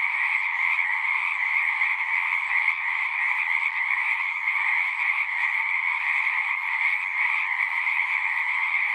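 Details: At a pond in a horse pasture, a full frog chorus recorded with a Zoom 6 keeps up a seamless, rapid trilling hum, slight swells in intensity but no pauses.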